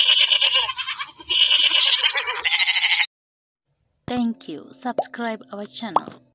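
Goats bleat in loud, quavering, nasal bursts, followed after a pause by shorter wavering calls.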